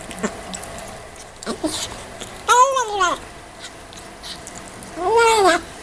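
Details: Kitten meowing while eating: two clear harmonic meows, the first arched and about half a second long near 2.5 seconds, a shorter rising one near 5 seconds, with faint chewing and mouth noises between.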